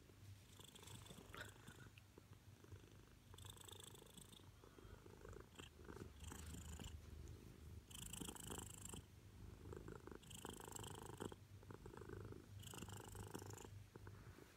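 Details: Loud purr of a female Siamese cat seeking attention: continuous low rumbling throughout, interrupted several times by brief rustling bursts as she moves or is handled.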